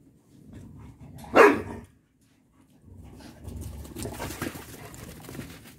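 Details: Ten-week-old Boxer-Malinois mix puppies: one sharp, loud bark bursts out about a second in, then silence and a stretch of low shuffling and rustling noise.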